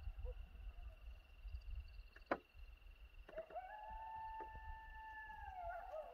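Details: Two coyotes call to each other in Hiawatha National Forest, one not far from the listeners: a long, steady howl wavering slightly at the end over a low rumble.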